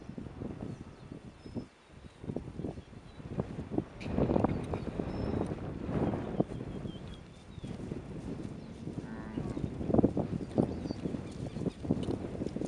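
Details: Angus, Brangus and Red Brangus heifers, farm cattle, giving a few low, rough moos amid steady shuffling and trampling, with a busier, louder stretch of lowing and movement after four seconds and a brief harmonic call near ten seconds.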